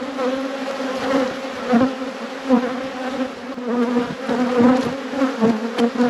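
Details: Honey bees humming around open hives in an apiary at peak production; a steady, rich drone pulses gently in loudness with no other clear sounds.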